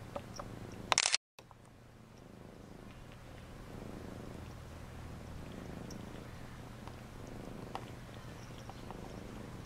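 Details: Bathing cat purrs in a low, steady, pulsing hum after a loud brief knock and a moment of dropout near the start, the rumble then continuing evenly with faint clicks.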